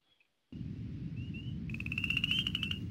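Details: A chorus frog at a seasonal Eastern Shore pool in Maryland, a spring amphibian breeding spot, gives a rapid, slightly rising trill of clicks like a finger run along a comb's teeth; a spring peeper may call behind.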